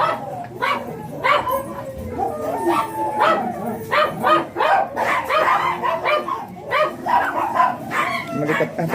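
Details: Morning at a dog kennel in Manaoag that keeps a blue Miniature Pinscher stud named Ziggs; a long series of clipped, yappy barks repeats irregularly while people talk in the background.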